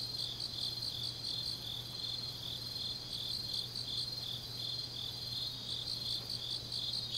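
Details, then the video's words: A continuous chorus of autumn grass insects fills a deep night in Changnyeong, South Gyeongsang: layered high shimmering trills with faint rhythmic pulses and a constant low hum. "깊은밤 가을 풀벌레 소리"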